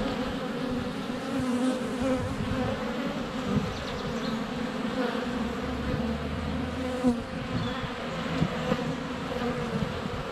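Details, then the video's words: Honey bees in flight at a hive entrance on a sunny February day, filmed up close with a GoPro Hero 7 Black; a dense, steady buzzing drone with layered hums, a few faint bird notes high above. "Honey Bees - ambient video and audio"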